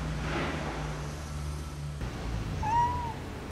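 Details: Cat from a street family of a nursing mother and playful kittens in Istanbul gives one short, clear, rising-then-falling meow near the end. Steady low construction rumble and street noise run underneath.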